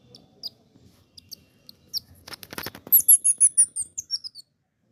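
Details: Baby Indian squirrel: soft scattered squeaks and a brief rustle give way to a quick run of about eight very high, sharp chirps, each sliding downward, delivered within just over a second before falling silent.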